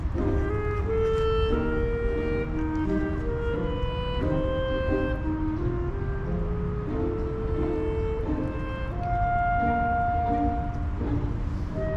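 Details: Steady instrumental music with sustained melodic notes throughout; no animal sounds are heard.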